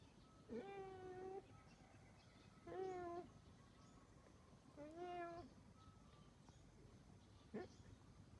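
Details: Kittens, three sisters, giving short plaintive meows at intervals of about two seconds, each a brief rising-then-falling cry, the last one clipped and faint, in a quiet room.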